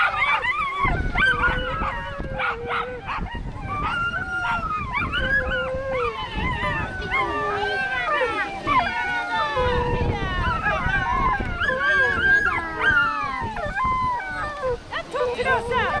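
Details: Racing whippets at a 295 m whippet race, 22 May 2011: a dense chorus of drawn-out howling whines and quick yips from several dogs, pitches sliding up and down, steady for sixteen seconds, with music and voices in the background.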